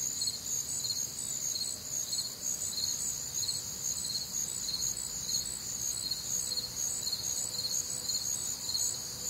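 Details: Several crickets trilling together through a warm, humid summer night in the Midwest; bright, high chirps pulse about two times each second over a continuous shimmering drone, with a faint low hum near the end.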